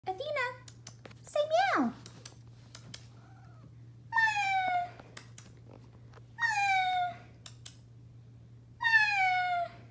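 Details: Athena, a black domestic cat, talking to a family member indoors: a short opening chirp, then a series of long harmonic meows roughly every two seconds, each gently falling in pitch, with a steady low hum behind.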